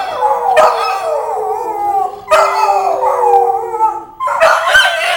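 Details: Two pet Petit Basset Griffon Vendéen dogs howling together: long, wavering, overlapping tones sliding gently downward, in three drawn-out bouts with brief breaks.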